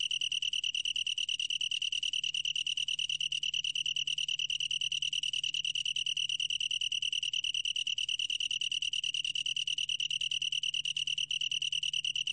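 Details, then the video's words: Continuous chirring trill of a long-tailed tree cricket, one sustained high tone of fast pulses that never pauses, with a slight waver in rhythm and a quiet low hum behind. "긴꼬리, 1번 듣기, 곤충소리"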